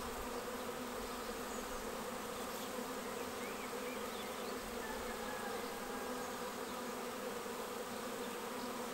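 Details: Honeybee swarm arriving at a bait hive swarm trap on 19 May and filing straight into the box; a dense, steady buzzing hum from many bees fills the whole recording without pause.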